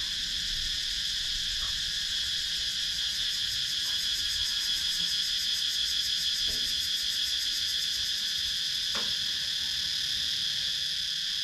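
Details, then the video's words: Wooded countryside in Sakon Nakhon, Thailand, where cicadas keep up a continuous shrill buzzing with a fast throbbing pulse, about three beats per second; a few brief faint clicks break through. Recorded with a GoPro Hero 9. "Cicadas Sound"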